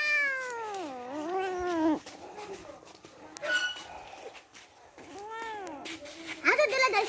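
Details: Meowing from kittens playing together: a loud, falling-then-rising meow opens, then quieter rustling and scuffles, then two more curved, whining meows close together near the end.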